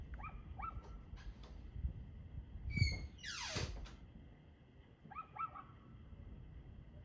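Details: A dog barks in short pairs at the start and again near the end, recorded 2/6/2024 at 6:02 pm. A loud sweeping whoosh cuts through the middle, over a constant low background rumble.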